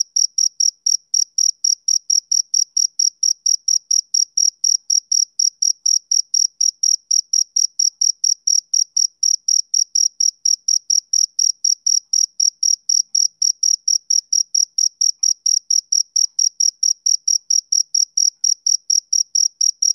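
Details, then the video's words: A male cricket gives a long unbroken run of shrill, evenly spaced chirps, about four per second, steady in pitch and loudness; nothing else is heard. "Cricket Chirping Sound Effect"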